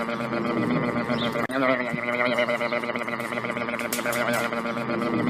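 A sheep's quavering, nasal bleat wobbles up and down in pitch, repeated with barely a pause. Other voices and animal calls overlap throughout, with a person briefly exclaiming near the end.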